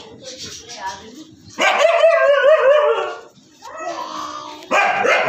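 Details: Siberian Husky vocalizing: a long, wavering, strongly tonal yowl lasting over a second, a softer rising whine, then another loud burst near the end, with faint background voices.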